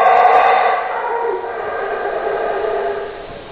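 A howler monkey lets out a long, throaty roar, rough and booming, with a slight echo. The howl holds steady for a few seconds before trailing off.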